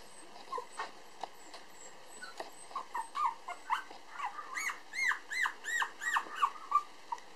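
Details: Black male Toy Poodle puppy, 431 g and just starting to walk, at a breeder in Ōtsu, Japan: scattered soft squeaks build into a run of loud, high, arching whines roughly every third of a second.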